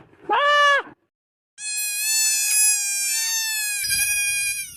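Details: ['A young goat kid gives a short, rising-falling bleat. After a brief silence comes a long, drawn-out, steady cry that lasts several seconds.']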